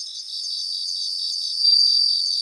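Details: A grassland chorus of Japanese bell crickets: a continuous high, shimmering ring with fine pulsing. One louder tinkling phrase rises near the end.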